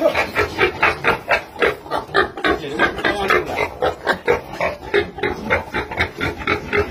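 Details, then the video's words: Mother pig tending her piglets on a farm, giving rapid rhythmic grunting oinks about four per second, steady and low, over a constant background hum. "Amazing Mummy Pig Care Baby Piglet"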